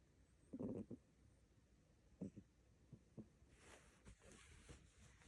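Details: Siamese cat. A sleeping Siamese kitten gives soft, low snores, each a brief breathy rumble repeated at uneven intervals. A faint rustling hiss rises near the end, and the room is otherwise quiet.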